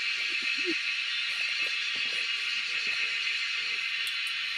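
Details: Cicadas in the wild keep up a steady, hissing drone that fills the air without a break while people hunt them.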